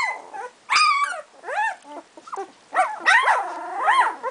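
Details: Two-week-old puppies of Sami and Drake letting out loud whining yelps, some long and wavering, others short and rising, separated by quiet moments, with a drawn-out arching whine closing the clip.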